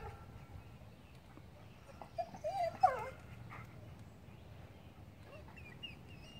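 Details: A dog playing with a squirrel gives a short run of high, whiny whimpering notes around the middle, rising and wavering, with a soft yip near the end; a person speaks coaxingly nearby, over quiet background hiss.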